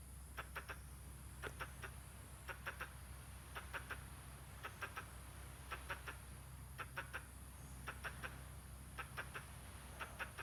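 A squirrel repeats short, dry chucking notes, clustered in tight bursts of two to four roughly every second. A steady low hum runs underneath the whole time.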